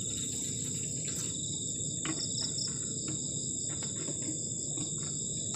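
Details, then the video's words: Cold-night cricket chorus beside a garden shelter at the forest edge, with dense high trills pulsing at several pitches. Frequent soft ticks and a strong low rushing background run underneath. "ENJOYING THE SOUND OF CRICKETS ON A COLD NIGHT"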